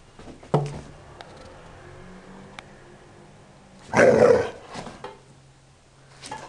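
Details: Rhodesian Ridgeback puppy named Pisello, four months old, indoors in a small room: a sharp yelp early on, then a single loud, rough bark near the middle, with short bursts of noise around it.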